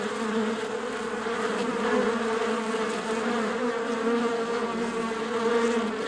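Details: Crowded buzzing of bees at a hive, an even, unbroken drone with a deep hum beneath a higher buzzy layer, holding steady throughout.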